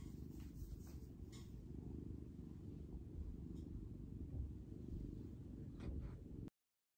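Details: Orange male cat awaiting adoption at a Seattle shelter gives big purrs, a dense low vibrating rumble with a steady rhythm, a few soft rustles above, ending abruptly.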